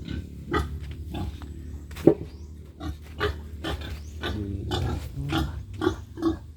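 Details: Pigs on a backyard farm in the Philippines, a future breeding sow among them, grunt in short low bursts spaced irregularly about every half second, with faint background music and a person nearby.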